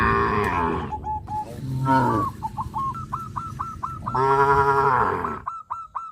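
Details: Cows, tame and gathered in a field, give a drawn-out low moo at the start and another about four seconds later, while a series of quick high chirps repeats steadily in between.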